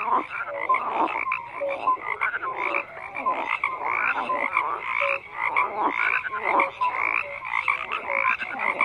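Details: Crowded chorus of croaking frogs, rhythmic rasping bursts rising and falling in loudness, punctuated by brief clear tonal notes.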